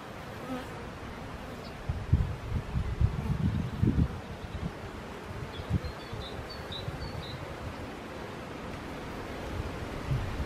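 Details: Western honey bee (Apis mellifera), buzz.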